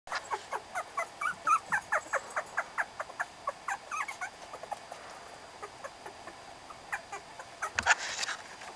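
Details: Young puppies recorded in November give a rapid run of short, high squeaky whimpers, several per second, fading out midway before one louder squeal near the end.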